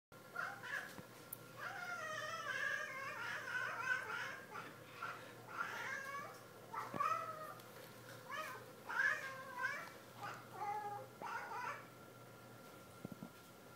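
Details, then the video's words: Pet cat indoors talking to birds while wagging its tail: a long series of short, wavering, chirpy meow-like chatters in quick bursts, some rising and falling, over steady room hum. "Our cat Bob talks to the birds and wags his tail"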